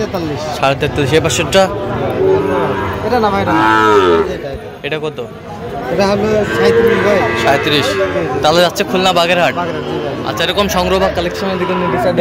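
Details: Repeated lowing from Sahiwal bull calves bought by a Khulna farmer, 17 October 2025. Several long, bent moos rise and fall in pitch, mixed with overlapping men's voices and crowd chatter.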